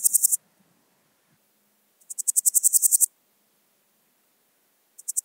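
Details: Swiss gold grasshopper singing at Wildhaus, Switzerland, on 7 October 2022: short bursts of rapid, hissy, high-pitched pulses, one cut off at the start, a full one of about a second with around ten pulses, then another beginning at the end.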